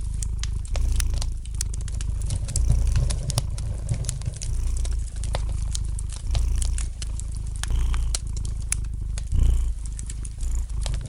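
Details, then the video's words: Cat purring softly by a crackling fire, a low vibrating hum pulsing in rhythmic breathing cycles while frequent bright pops and clicks from the fireplace punctuate the background. "Relax to the gentle purring of the cat and the light crackling of the fire in the fireplace!"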